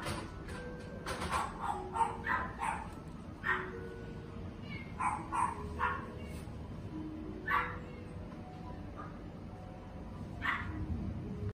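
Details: Red-coated male Shiba Inu born 17 June 2020, letting out about a dozen short, sharp yips and barks at irregular intervals across eleven seconds, with soft background music tones underneath.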